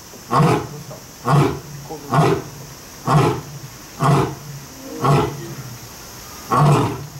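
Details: At Kyoto City Zoo, Japan, a lion or tiger gives a series of seven low, rumbling roar-grunts, about one per second, deep and throaty, over a quiet hiss.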